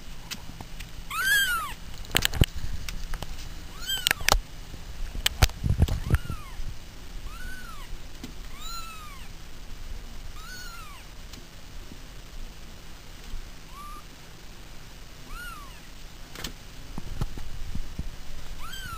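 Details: Pet cats meowing: a run of short arched meows rising then falling, repeated every one to two seconds with a few longer gaps, over soft indoor background noise and occasional clicks and thumps.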